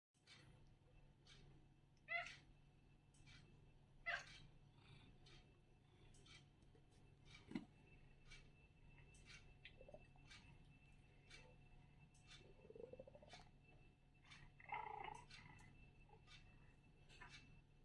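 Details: A Maine Coon cat gives several brief, trilling, chirping meows spaced a couple of seconds apart, impatient, in a quiet room, seemingly around feeding; a steady low hum and faint ticking run beneath. Maine Coon.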